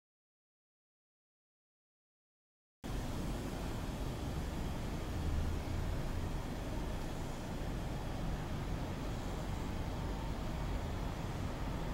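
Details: Near three seconds of silence give way to a steady outdoor rumble of distant road traffic, with no animal sounds.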